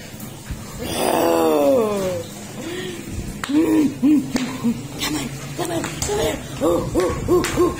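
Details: A French Bulldog playing with its owner gives a long falling whine, then a string of short, arched, hooting woo-woo grumbles.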